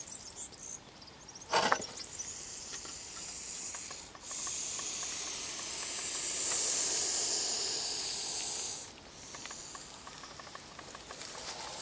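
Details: Male Montpellier snake hissing: one long, breathy, steady hiss of about four and a half seconds, bright and airy, after a sharp rustling click and a quieter hissy stretch; a softer hiss resumes near the end.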